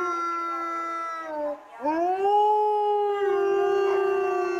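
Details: At Asahiyama Zoo in Hokkaido, where three wolves live, a gray wolf reacts to the morning park announcement with a long, smooth howl that dips, breaks briefly, then swells into a steady held note.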